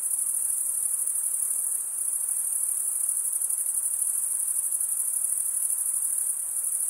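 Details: Shrill, uninterrupted trilling from crickets, the males sounding by rubbing the toothed vein under one wing with the other wing, sustained at an even level over a soft underlying hiss.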